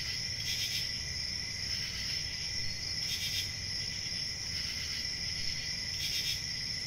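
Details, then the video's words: Crickets keep up a sustained piercing trill, interrupted by a few brief intensified chirp bursts spaced a few seconds apart, with faint low rumbling underneath. "1 Hour of Cricket Sounds"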